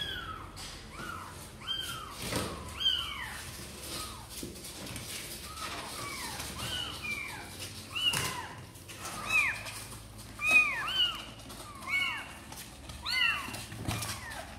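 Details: Sor and Kapov kittens, wanting to come out and play, give a steady stream of short, high, arching mews, several voices overlapping and repeating about once a second, with a faint low hum and clicks in the background.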